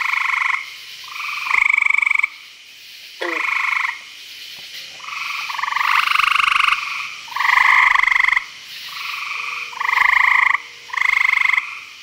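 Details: Nighttime chorus of frogs at a Virginia pond, several buzzy pulsed trills of roughly a second each overlapping and alternating almost continuously, with a quick chirp near the start and a faint lower hum beneath.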